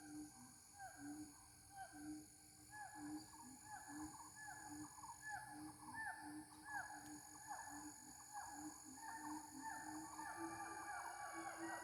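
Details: Ungka, the local name for gibbon, heard in a mating call: repeated curved, rising-falling whoops in an uneven but steady series that grows busier toward the end, with a constant shrill insect chorus throughout.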